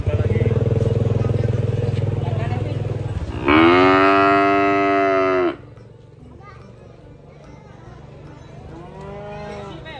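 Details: A low engine-like drone gives way to a single loud, sustained moo of about two seconds as a child feeds a cute cow, with quieter voices afterward.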